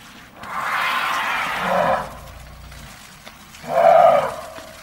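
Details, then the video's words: Elephant giving a long, rough, blaring trumpet lasting over a second, then after a pause a shorter, louder blast with a tonal edge, over a faint low background. "TIẾNG VOI RỐNG"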